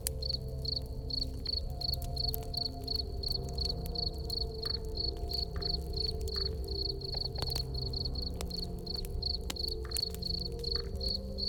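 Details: A cricket chirps in steady, high-pitched pulses in an autumn Halloween ambience, with a crackling fire and soft music underneath.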